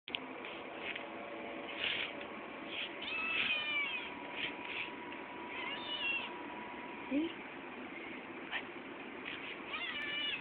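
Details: Eight-week-old male Maine Coon kitten meowing to be fed indoors: several short and drawn-out meows scattered over ten seconds, some rising, mixed with a constant electrical hum and faint background noise.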